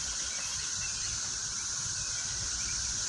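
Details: Cicadas in a vegetable garden fill the air with a steady, high, hissing drone that never pauses.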